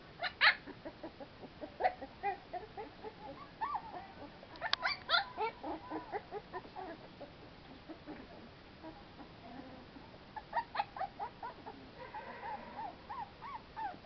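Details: Several American Pit Bull Terrier puppies at play in the fresh air, with overlapping squeaky yelps, whines and little barks in irregular bursts; a louder cluster comes around five seconds.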